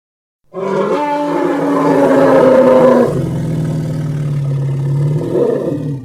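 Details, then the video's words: Loud elephant roar, rough and harmonic, holding a strained higher tone for about two and a half seconds before dropping into a long, deep, steady rumble that swells again at the end. "Elephant Sound Effects Vol 2"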